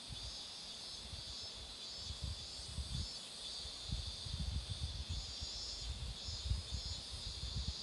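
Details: Cicadas singing beside a road where marigolds are in full bloom: a steady, high, hissing buzz drones on without pause, under frequent low rumbling thumps of wind or handling noise.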